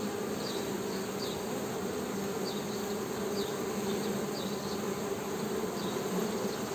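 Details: Honey bees humming in a steady, droning buzz with a low tone and its overtone, and faint short chirps high above repeating every second or so.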